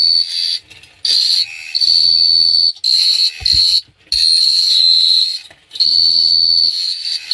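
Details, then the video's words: Crickets singing under the night sky at Phteah Prey: high, even trilling in bursts of one to two seconds separated by short gaps, over a soft low hum and a faint thump. "The Sound of Cricket Chirping is amazing"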